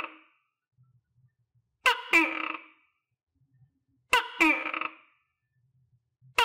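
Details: Tokay gecko, a pet previously dewormed and given vitamins, now feeding itself on crickets. It barks twice with clipped two-syllable calls, each a sharp tap and then a rough descending tone, roughly two seconds apart, with soft low knocks between.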